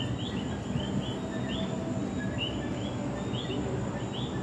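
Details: Coqui frog calling at night in San Juan, Puerto Rico: faint, short rising chirps repeat about once a second, some in quick pairs, over a steady low rumble of background noise.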